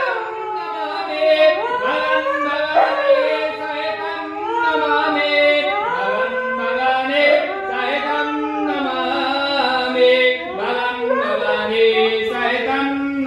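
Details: A Siberian Husky howls in long, wavering, rising and falling notes, almost like singing, amid Hindu devotional chanting to Shiva.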